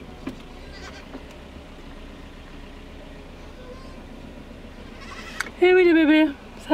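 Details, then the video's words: Young Alpine and miniature goat kids left at the farm during a dry summer grow excited as armfuls of branches arrive; after quiet farm noise, loud harmonic wavering bleats burst out near the end, with a woman's voice earlier. "Effervescence des chevreaux à l'arrivée des branchages"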